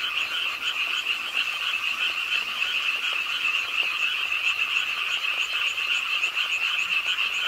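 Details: Rainy-night chorus of frogs at a city park pond in Suwon. Many callers overlap in quick, rhythmic croaks, about 220 a minute, making a shimmering, uninterrupted rattle.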